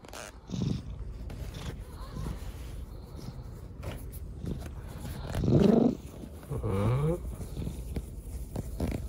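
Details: Rescued kitten, lame after an accident, resting on dad's lap indoors; low rumbling purr runs throughout, swelling louder near the middle and again toward the end, with faint rustling of handling.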